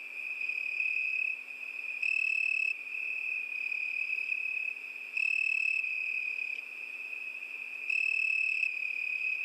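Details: Crickets singing on a summer night: a steady high, ringing trill that never stops, swelling louder for short stretches roughly every three seconds, with no other sounds.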